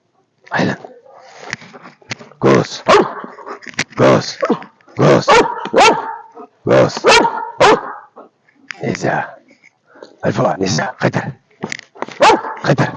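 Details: Belgian Malinois named Alpha barking: loud, harsh barks in irregular bursts of two to four, with short pauses between groups across thirteen seconds, human voices mixed in.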